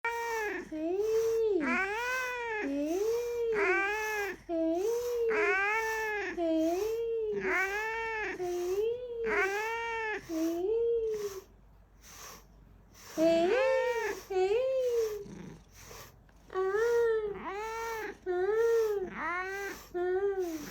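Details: Coquettish kitten meowing: a long run of clear, wavering, slightly plaintive meows roughly every second, with a brief quiet gap midway before the cries resume, nasal and sing-song in tone.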